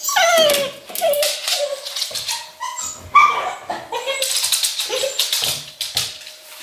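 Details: Left alone in a Berlin home during lockdown, English Cocker Spaniel Luna whines and yips from separation anxiety: a string of falling whimpers, short high yelps and one sharp squeal, with a steady hum beneath.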